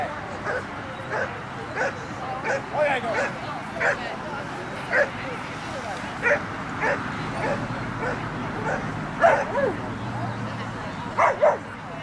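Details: An 11½-year-old Poodle barks during a winning Jumpers With Weave agility run at 6.4 yards per second: short, sharp barks every second or so, sometimes in quick pairs, with people talking throughout.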